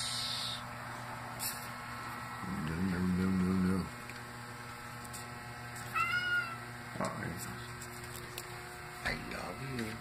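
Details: Simba, a male domestic cat, gives drawn-out, wavering meows, taught to sound like "I love you," while a person talks. He wants to go outside into cold weather around 39°F.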